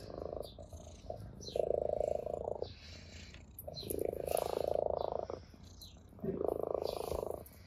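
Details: Ginger orange tabby cat purring with pleasure while playing with a blade of grass; steady pulsed purr in three long phases, about a second each, separated by short quieter gaps, with light rustling above.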